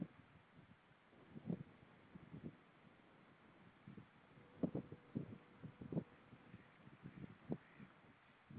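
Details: A seal sings underwater in low grunting pulses and brief moaning tones over a dull rumble, recorded 10 April 2013 at about 07:21.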